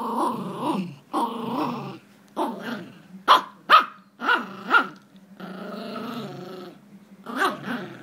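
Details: Tug-of-war between Jack Russell Jax and Rosco brings choppy, pulsing growls mixed with short sharp yips and bark-like bursts, roughly two a second, then a long steady rumble before a final quick growl.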